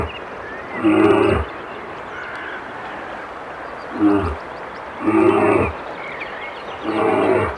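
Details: Howling brown bear giving four coarse, throaty bursts, the first and last longest, each a raspy roar with stacked overtones, spaced irregularly one to two seconds apart against a low constant hiss.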